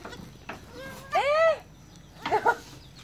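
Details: Young goat kids named Jalu and Jali, born 1 January 2019 at dusk, learning to walk; one clear, arched, tonal bleat rising then falling, then a shorter broken double bleat, over quiet background rustle.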